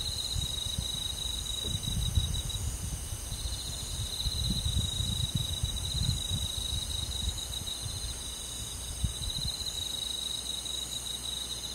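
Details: Crickets and other forest insects on a summer night in the countryside, giving a steady, unbroken high trill alongside fainter, even higher tones, over soft low rumbling noise that swells and fades.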